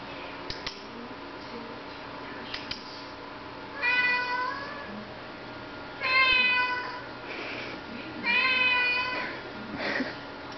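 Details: Domestic cat named Mooch meowing indoors because it wants to go outside while it is raining; three loud drawn-out harmonic meows about two seconds apart, each rising then falling, over a steady room hum.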